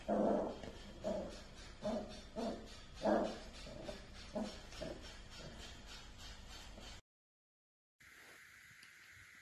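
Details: Pet dachshund, a sausage dog, giving a run of short whimpering yelps, about one every half second for five seconds, each burst fading out, followed by a gap of silence and then a steady electrical hum.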